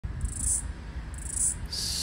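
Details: Floury baker cicada (Aleeta curvicosta) calling and flying in eastern Australia, February 2023, giving short, high, hissing buzzes in quick bursts over a low rumble.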